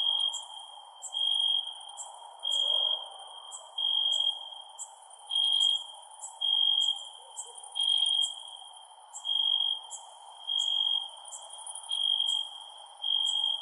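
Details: At night, a cricket gives pure, ringing chirps in bursts about a second long, with a thinner high insect trill behind.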